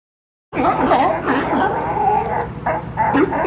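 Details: Sea lions crowded and piling on top of each other for space to rest in Monterey Bay, California, noisy and boisterous; dense overlapping harsh, honking barks with rising-falling harmonic calls, several animals at once.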